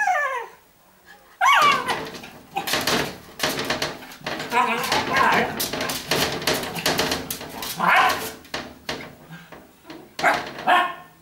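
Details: Several pet dachshunds indoors at home, wanting to be let in: a falling whine opens, then excited yips and short barks tumble over each other amid scrabbling and human voices.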